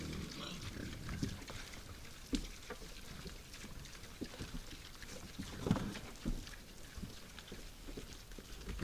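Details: Night-time wild boars feeding at a forest feeder, giving low, rough grunts and snorts scattered through a steady noisy background, with a couple of louder grunts standing out.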